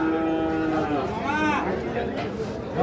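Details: Sahiwal bull calves at Ambari cattle market in Parbatipur, Dinajpur: a short, rising-then-falling bellow in the middle, surrounded by men's voices haggling over prices.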